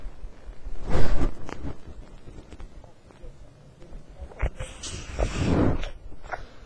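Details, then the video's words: Sleeping dog snoring: two long, rough, low rasping breaths about four and a half seconds apart, each swelling and fading, with a few soft clicks between them. "Snoring Dog"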